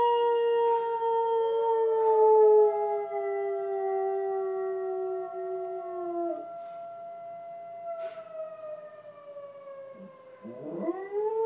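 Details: Hops, a pet dog, howling along with police sirens: long, drawn-out tonal wails that slowly sag in pitch, interwoven with the steady harmonic wail of the sirens, ending in a quick falling yelp-like glide.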